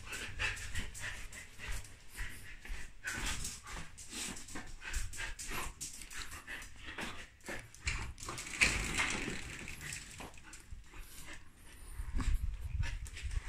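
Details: Hungry female Samoyed eating lamb indoors, panting in rapid, breathy huffs mixed with wet chewing and mouth noises, with a low background hum throughout.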